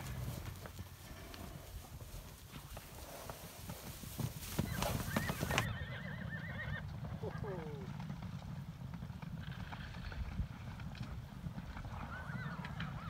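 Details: Challis-Idaho wild horses arriving at a preserve in July 2020 after a November 2019 roundup; brief wavering whinnies rise and fall amid shuffling hooves and clatter, following an opening stretch of loud broadband rumble, with voices faint in the background.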